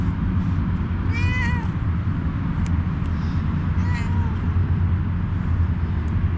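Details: A homeless cat wanting a head massage meows twice, at about one and four seconds, each a clear harmonic-rich meow with a falling tail, over a steady low rumble of traffic or machinery.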